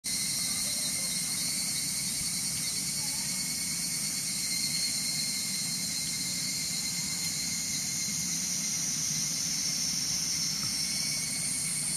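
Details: Evening cicadas (higurashi) singing in the mountains: a steady, shrill, high buzzing chorus that holds without a break, with a lower faint rumble underneath.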